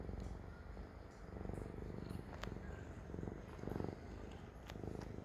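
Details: Deep vibrating purr from a Siamese cat, rising and falling in regular breaths under a few light clicks and a soft hiss of room noise.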